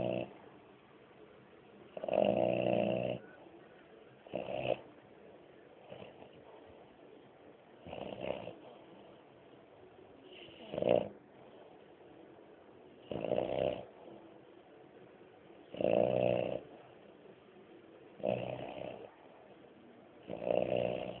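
A French Bulldog snores in loud, rasping bursts every two to three seconds.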